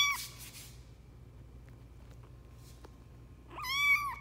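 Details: Runt foster kitten Lucy, kept for a shelter lacking space, makes a brief high mew at the start and a longer, arching meow near the end, separated by quiet room noise with a low hum.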